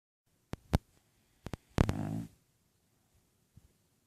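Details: Lola, a sleeping bulldog, snoring: a single short, rasping, low snort-like breath midway through, surrounded by several sharp clicks and taps in an otherwise quiet room.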